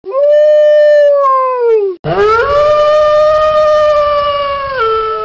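A wolf gives two long, steady howls, each holding a mid-pitched tone before sliding down at the end.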